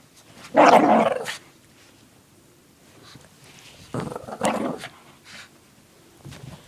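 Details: Shih Tzu named Lacey, indoors, playing with her pink puppy blanket and shaking her head back and forth; two fierce, rough growling bursts, the first loud and about a second long, the second shorter and softer a few seconds later, with light rustling between.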